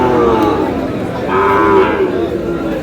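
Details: Sahiwal bull calves for sale at Aftabganj cattle market in Dinajpur, Bangladesh, on a Saturday; drawn-out lowing moos with harmonic bands over a busy crowd and nearby speech.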